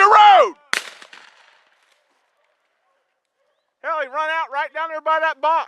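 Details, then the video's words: Rabbit dogs hunting Salt Lake WMA on the morning of 2 February 2018: a sharp gunshot crack, a quiet pause, then a hound's loud, ringing bays in quick succession, about six drawn-out bawls. "RUNNING RABBIT DOGS"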